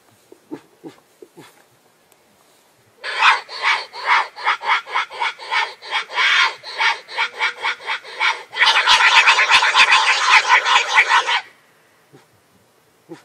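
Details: Wild boar; mating call; rutting call of a boar in heat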